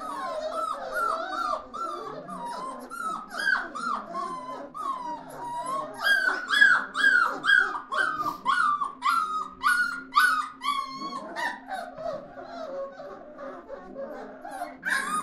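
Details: A group of puppies together, giving continuous overlapping whines and yelps that rise and fall in pitch, several calls per second, with a faint low hum underneath throughout.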